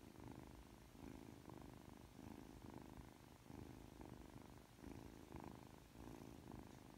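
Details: Purring from Aki, a Ragdoll kitten three months old, affectionate right after waking. The rumbling purr pulses in even in-and-out breaths, roughly eight cycles over seven seconds, close and steady.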